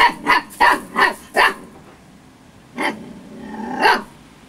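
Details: Storm, a female Husky puppy at 8 weeks old, playing with excitement: four quick high-pitched yips in a fast run, then a gap and two more spaced puppy barks, the last one drawn out.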